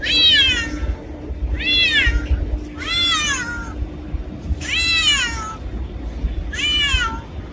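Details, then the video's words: Loud, insistent meowing from a black cat: five harmonically rich cries that arch up and fall away, spaced a second or two apart, with a faint constant hum behind. "Black Cat Sound | Creepy Cats Meowing | Scary Cat Meowing | Black Cat Voice"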